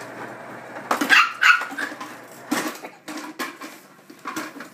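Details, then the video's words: Indoor scuffle between a younger and an older Shih Tzu: a couple of high yelping barks near the start, followed by softer scattered barks and whimpers as the dogs tussle. "Dangerous Shih-Tzu Dogfighting"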